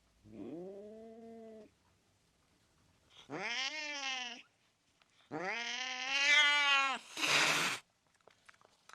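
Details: Angry cat giving three drawn-out, rising-and-falling yowls, each louder and harsher than the last, the final one cut off by a brief explosive hissing spit; quiet background.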